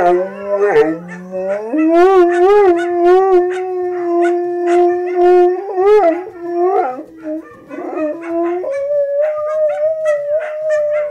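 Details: Siberian Husky howling, a breed said to bark less than other dogs and whose howl can carry up to 15 km; long steady tones with wavering, rising and dipping pitch, several drawn-out howls with brief yips between.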